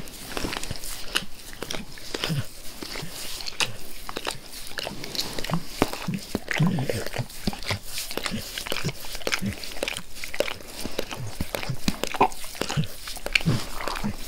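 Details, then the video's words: Dog Max licking his owner's face; the licking grows less forceful as he is petted. Dense, continuous wet clicking and soft slurps run at a brisk, even pace throughout. "ASMR DOG LICKING"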